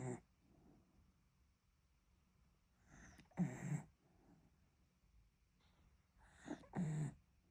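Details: Miniature dachshund sleeping on its owner's belly, snoring indoors: two rough, breathy snores about three and a half seconds apart, low and noisy, with quiet breathing between.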